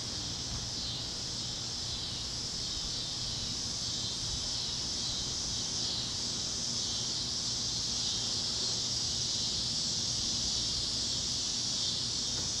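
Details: Warm sunset over the fields of Kansas, cicadas chirping with other critters: an unbroken high-pitched buzzing wall of sound holding steady throughout, with a soft low background rumble beneath.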